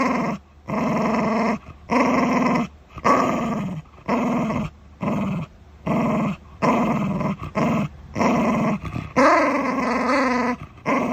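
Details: Shiba Inu guarding its dental chew, giving about ten rumbling growl bursts in quick succession, each under a second with brief gaps, one wavering, more strained growl near the end.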